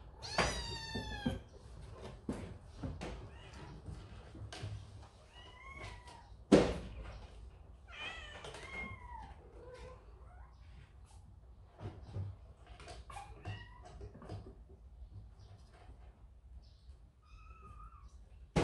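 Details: After a scolding from its older brother, a kitten in a big household of cats runs to its mother; a burst of high mewing opens, followed by many short meows and squeaks amid frequent thuds and clicks.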